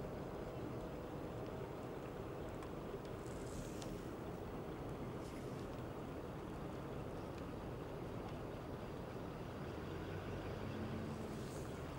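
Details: Steady low rumbling noise, like wind or a distant engine, runs throughout with faint higher hiss and no clear animal calls.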